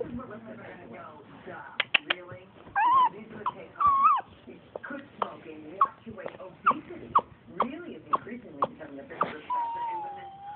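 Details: A pet Chihuahua making a sound likened to a baby alligator: short squeaky, wavering tonal squeals and croaky grunts with clicks in between, while a person speaks softly nearby.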